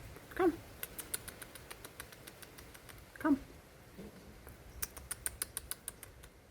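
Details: Large stray tomcat, never seen before, emerging from under a parked car outdoors to grab chicken during a feeding of resident cats amid territorial tension; two short, loud, nasal harmonic calls about three seconds apart, then a rapid run of sharp clicks.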